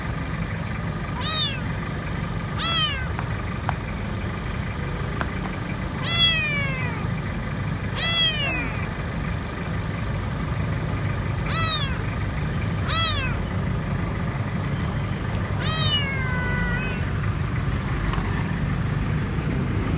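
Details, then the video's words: Lone, dirty kitten hiding beneath a food truck at a grocery store, crying out for food; seven thin, high harmonic meows spread across the stretch, each sliding downward, over a constant low engine-like rumble. "Poor little kitten is afraid and asking for food"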